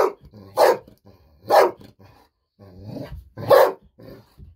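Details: Excited barking from Bis, a pet Golden Retriever, who rushed out of the room sensing treats were coming; three loud, harsh barks spaced roughly a second apart, with softer low sounds between them.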